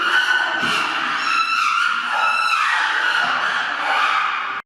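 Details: A chimpanzee group making loud noises as the father climbs carrying an orange in his mouth, a mother nearby with a one-day-old baby; dense, sustained high wailing screams overlap throughout, then cut off abruptly at the end.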